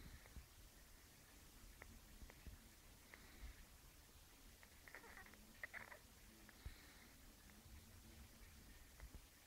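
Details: Bruce, a one-week-old kitten, purring: a very soft, low, steady rumble running through the whole stretch, broken by faint clicks and light rustling close by in a quiet room.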